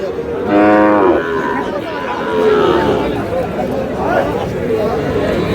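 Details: Sahiwal bull calf at a cattle market in Chattogram, Bangladesh, bought by a farmer on 4 August, lowing once with a short, rising, nasal moo, followed by busy crowd chatter and men talking nearby.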